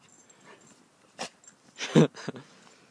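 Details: Dogs playing in the snow, a 2-year-old American bulldog and boxer mix with a 7-month-old Rhodesian Ridgeback; three short, harsh, breathy bursts, the loudest and fullest just after two seconds, with a quieter huff following it.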